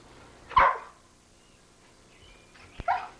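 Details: Sadie the Pit Bull, recorded in 1983, playing excitedly with bubbles: two loud, abrupt barks about two seconds apart, quiet room in between.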